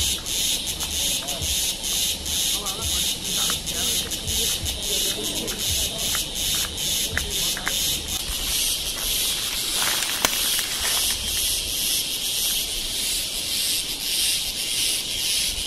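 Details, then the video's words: Cicada noise recorded in Kodaikanal and Thekkady, India, in 2014: harsh high buzzing pulses in quick bursts, then merges into a dense continuous drone, with faint voices and a few clicks behind. "Noise Of Cicada In India"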